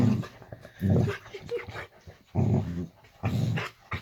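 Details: Female Boxer dog in a bedroom at bedtime, acting up: four short, deep, throaty growls repeated about once a second, with brief quiet gaps in a small room.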